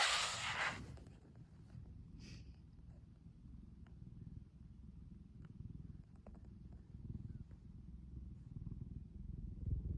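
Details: Loud snoring from the house cat Kuromitsu, a continuous deep purring rumble with faint rhythmic breaths, opening with a short burst of handling noise.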